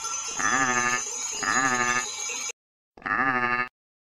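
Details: Wild goat being caught by shepherds in Crete, giving three loud, wavering, nasal bleats, two long and one shorter after a brief silence, over a steady high ringing of bells.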